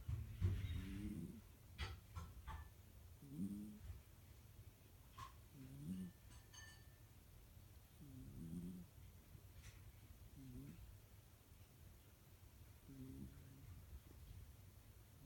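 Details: Elderly cat, almost 14 and healthy, snoring while asleep in February 2017; faint low grating snores recur roughly every two and a half seconds under steady background hiss, with a few soft clicks early on.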